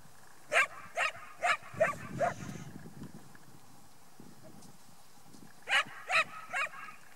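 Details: Portuguese Sheepdog (Cão da Serra de Aires) named Hypnosis Deep des Gardiens de la Houlette, working a flock of sheep: five sharp barks about half a second apart, a pause with low rumbling noise, then three more quick barks.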